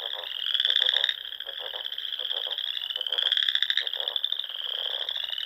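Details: Dusk frog chorus in Nebraska's Sandhills in spring, near small lakes; overlapping buzzy pulsed trills form a continuous high ring, with louder rattling bursts rising and falling and soft lower throbs beneath.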